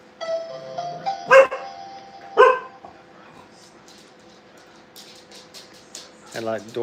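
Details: Playing Brittany puppies in a training kennel let out two short, sharp barks about one second apart over soft tonal music, then quiet, and a human voice at the close.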